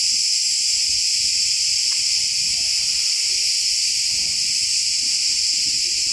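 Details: Cicadas massed in a Turkish forest sing together as one steady, shrill, continuous drone with no pauses, filling the high register and all but drowning out faint low background sounds.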